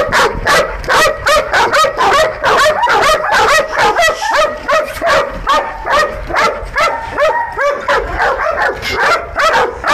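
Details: Several Belgian Malinois guard dogs, trained to protect an industrial area after dark in Nauplion, Greece, bark continuously in harsh, overlapping bursts, some rising and yelping, at roughly two barks a second.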